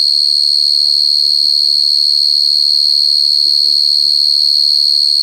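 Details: Rapid, regular high chirps of a cricket ring out loud and clear, close to three per second, over brief low muffled voice-like sounds in the background.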